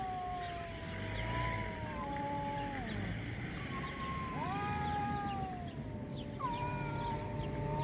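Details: Fighting cats trade long moaning yowls, tones sliding down and then leaping up again, with two voices wailing at once over a steady low rumble.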